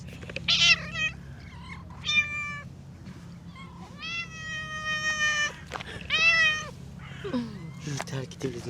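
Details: A chatty stray she-cat gives a run of clear, harmonic-rich meows, some short and some long and level, while a woman talks to her softly; steady low hum underneath.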